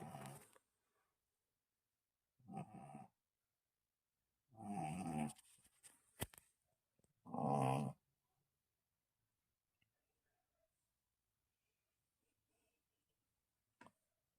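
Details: Sleeping Shih Tzu named Aero snores in short, gravelly, low bursts, four of them roughly every two to three seconds, then a long quiet stretch with only a faint click near the end.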